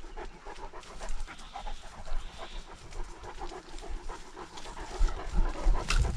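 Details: Great Dane panting on a lockdown walk, filmed with a dogcam GoPro. Quick, uneven breathy huffs repeat about three to four times a second, growing louder near the end, with low thumps and movement noise.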